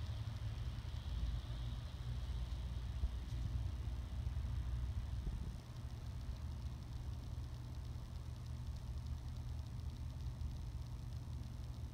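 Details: A steady low engine rumble, like an idling vehicle, with no animal voice.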